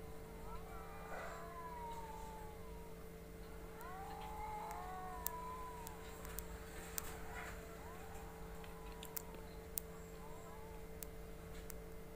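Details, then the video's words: Pet cats fighting: wavering, arched yowls and moans rise and fall in drawn-out cries, with a steady electrical hum and scattered sharp clicks behind. "PERTARUNGAN KUCING SANGAT MENGERIKAN"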